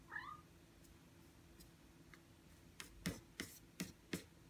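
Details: Aki, a six-month-old Ragdoll cat, comes to block the screen while its owner works at the keyboard. A short, rising meow opens the clip, then four sharp keyboard taps click in a quiet indoor room.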